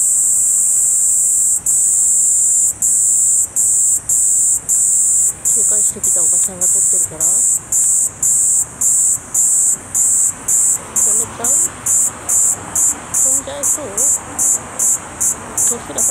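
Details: Kaempfer cicada recorded in Tokyo on 17 July 2021 with a CX430V camcorder: a high, hissing buzz broken by short gaps about once a second, giving a stuttering pulse, with quiet speech underneath.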